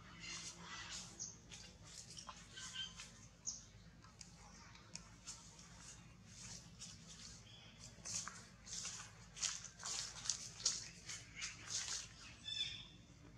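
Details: Baby monkey Nathan, a female, vocalizing alone while gesturing; a series of short, high, thin squeaky chirps in irregular bursts, denser toward the end, over a low steady background hum.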